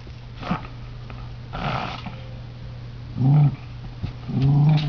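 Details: Tory, an indoor earth dog, growls while hunting at the heating ducts, apparently after hearing or smelling something inside; faint snuffling and knocks come first, then two louder, sustained low rumbling growls near the end.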